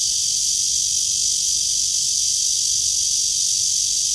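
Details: Cicada on a tree, blue sky overhead, 23 August 2020 at 9:27 during a walk; steady loud metallic buzzing whine, unvarying and continuous across the whole stretch.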